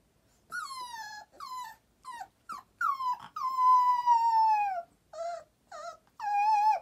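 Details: A Boxer puppy gives a series of whining, sliding howls, some short and one drawn out, around five o'clock as its nap time arrives.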